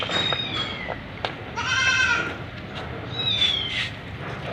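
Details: A white Persian kitten in a shower in Gujranwala lets out a short high mew, a longer drawn-out meow, then a brief final cry, with splashing water and dripping sounds throughout.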